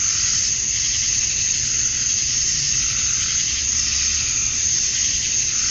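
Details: Summer-dusk cicadas in Georgia, USA, the males chirping to attract females; a constant sizzling high buzz with faint rhythmic pulsing and soft rises and falls every couple of seconds.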